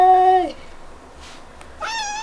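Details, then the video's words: Female baby cat giving a happy sound whenever touched: a steady harmonic meow ending in a falling glide, a pause, then a rising, brighter second meow; quiet music underneath. "A Baby Cat Makes a Happy Sound Whenever I Touch Her"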